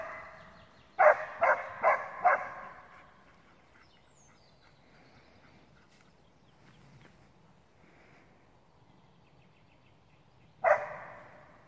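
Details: Alpine Dachsbracke barking at its first wild boar encounter, after about 30 minutes of barking; four loud harsh barks in quick succession near the start, a long quiet pause, then one more bark near the end.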